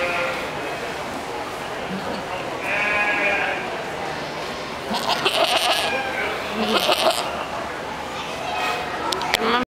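A goat gives a few quavering, nasal bleats, with people talking in the background.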